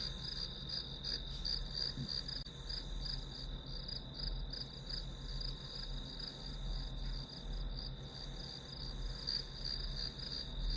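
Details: Steady high-pitched ringing of grass insects with looser, irregular pulsing, used as white noise while studying; a low hum and soft rumble sit beneath, with a brief faint click near the start.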